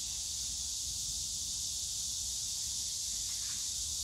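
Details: Cicadas singing among bamboo at Yongsan Family Park on a summer day; an unbroken high, hissing buzz holds steady throughout, with soft background rumble below.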